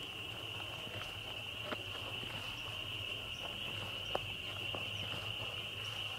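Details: Spring peepers in a really loud chorus: countless high peeps blur into one steady shrill ringing band that holds without a break, with scattered soft clicks and taps beneath it.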